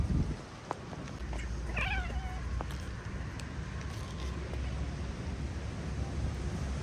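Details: Feral street cat out in the rain gives a single short meow, a rising-then-falling wavering cry lasting about half a second, over a constant low rumble of rain and background noise with scattered patters.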